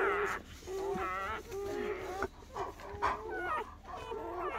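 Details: Newborn German Shepherd puppies of the mother Betty whine softly in short, thin, wavering squeaks during the first night after birth, mixed with a steady low tone and quiet background rumble.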